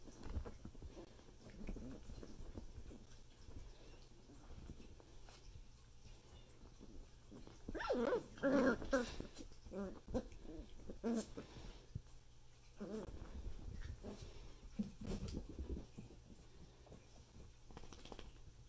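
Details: Miniature dachshund vocalizing in a home setting: a loud burst of harsh, harmonic growling and yelping sounds in the middle, with quieter whimpers and low rumbling before and after, over background noise.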